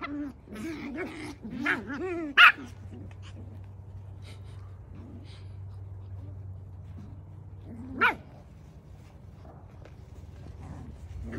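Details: Havanese puppies, several from two litters, playing intensely outdoors with room to run: rough, wavering play growls and whines in the first two seconds, then a sharp yip near 2.5 s and another near 8 s, over a low steady hum.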